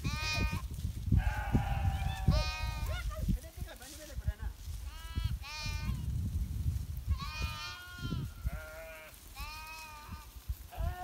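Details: Himalayan shepherd's sheep in the winter season, quick succession of quavering bleats from several animals, some high and tremulous, with a strong low rumbling noise underneath.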